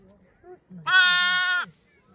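A newborn lamb gives one loud, wavering baa lasting nearly a second, with faint human voices around it.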